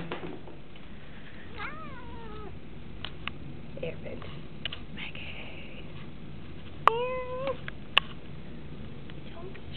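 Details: Domestic cats indoors in a house in Washington, DC, winter 2010: two clear drawn-out meows, one arching then falling at about two seconds, another rising and falling near seven seconds, over steady room hiss with a few sharp knocks.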